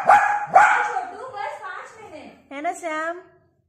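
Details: Shih Tzu. A young Shih Tzu lets out two quick, sharp barks in close succession, bright and high for a dog. A person's voice follows, speaking in a lilting tone over the rest of the moment.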